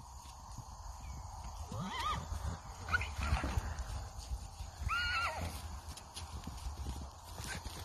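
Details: Hanoverian colt born in 2019, sired by Devon Heir, kept in Missouri, whinnying three times: shrill, quavering calls that drop in pitch, each about half a second long, over low rumbling background noise.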